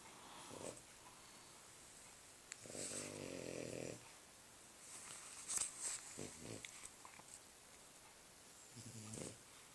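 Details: French Bulldog snoring while asleep indoors: rough, buzzy, rattling breaths in bursts of about one second, a long grating snore near three seconds, then shorter snorts and wheezes over a quiet room hiss.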